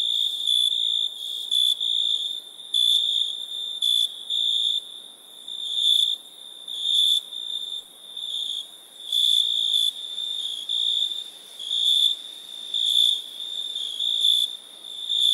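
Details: Crickets chirping at night: a steady high trilling tone in bursts roughly every second, swelling and fading, with fainter overtones above and no other sounds.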